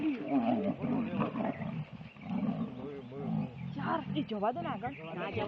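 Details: Two Asiatic lions fighting at Sasan Gir, one jumping over the other: continuous deep rasping growls and snarls, rising into harsher roaring bursts near the end, with music faintly underneath.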